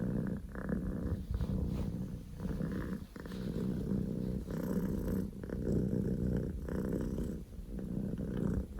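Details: Powerful purr of a male Scottish Fold kitten named Poko J, born 15 October 2019; low throbbing rumble in repeated breath cycles roughly every second, with one short pause near the third second.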